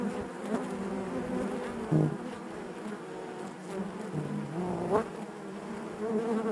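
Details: Inside a beehive, many honey bees produce a low layered hum, with short pitch-shifting buzzes of single bees flying near around two and five seconds.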